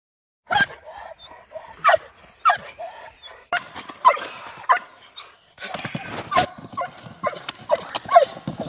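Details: Perro de Presa Canario named Nadja de la Arena during protection dog training with a decoy, barking in repeated harsh bursts at irregular intervals, with sharp impact sounds and some background noise between barks.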